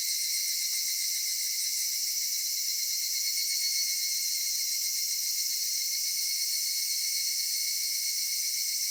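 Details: In a cedar forest at summer twilight, cicadas keep up an even, piercing high drone, a thick wall of buzzing tones without breaks, rhythm or other noises.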